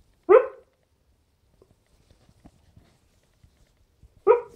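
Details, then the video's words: Sleeping dog letting out two short, abrupt barks about four seconds apart, with faint soft rustles between them in a quiet room. "Sleeping dog barking"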